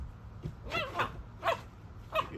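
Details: Female Siberian Husky yelling at her ball, four short wavering yowls with bent, warbling pitch spaced roughly half a second apart, over a faint room hum.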